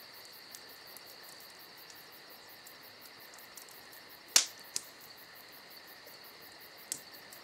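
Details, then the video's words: Crickets on a summer night keep up a steady high-pitched trill with fast regular pulsing, while a crackling campfire throws one loud pop midway and a few softer snaps. "Summer Night Crickets & Crackling Fire"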